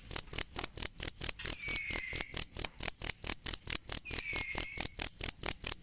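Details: Real cricket sound used as a model for training songbirds: bright high chirps repeated evenly at a quick rate, and a soft falling whistle appearing twice.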